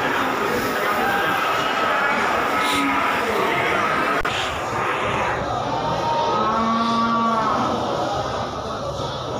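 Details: White 'bule' or 'londo' water buffalo at the Kudus animal market, Pasar Kliwon. A single low moo comes late in the recording beneath constant voices and busy market background noise.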